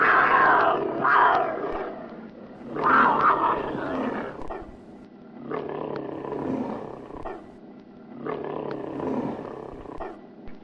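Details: Angry tiger during fighting. Four harsh, rasping roaring bursts come about every two to three seconds, each swelling and then fading into rough growls, with no other clear sounds.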